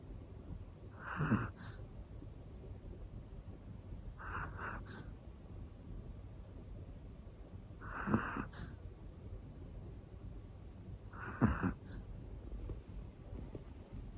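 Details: Sleeping black female Pomeranian named Hana, one year old, giving soft snorting snores about every three to four seconds, four breaths with a brief whistly exhale after each, quiet room.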